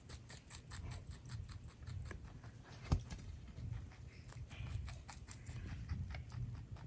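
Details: Pet rabbits munching a load of greens, veggies, grasses and flowers: soft, rapid crunchy clicks of chewing repeat several times a second over a low, steady rumble, with one sharper crack near the middle.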